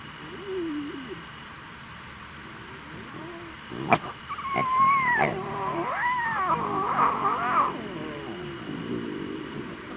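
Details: Lion cubs making noise: after soft low moans and a sharp click near four seconds, a burst of loud, wavering, high-pitched mewing cries rises and falls and overlaps for about four seconds, then fades into softer, lower moans.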